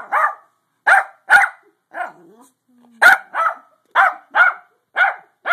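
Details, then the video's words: Pug trying to sleep, recorded on a phone: loud short barks or yelps in bursts, mostly in pairs, about ten in the clip, with a brief low whine between them. "Pug trying to sleep."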